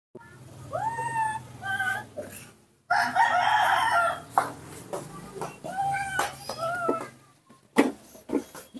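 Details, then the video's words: A captive baby monkey, cared for by a person, calls when its father is not nearby: clear whistled notes that rise then hold steady, repeated in short phrases, with a harsher burst between them. A man speaks briefly near the end. "the melodious sound that the baby monkey Nomi makes to call, when his father is not nearby"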